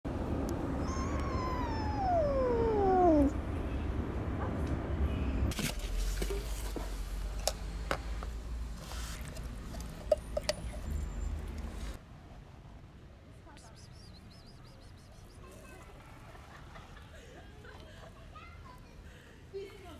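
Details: Hungry kitten wanting food but wary of being approached gives one long meow that slides steadily downward in pitch, followed by rustling, handling noise and a low background hum.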